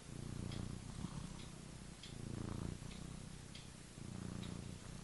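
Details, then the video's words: A cat asleep and dreaming gives a low, rough rumbling snore, rising and falling in four breathy bursts, with small clicks sprinkled over the rumble. "sleeping, snoring and dreaming (funny cat)"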